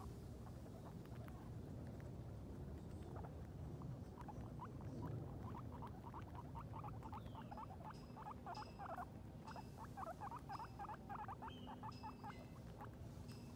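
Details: Two guinea pigs, Sheik and Penny, on their first time outdoors, exploring and eating grass; a long run of short, quick squeaky chirps repeated several times a second over a steady low outdoor rumble, with faint higher peeps.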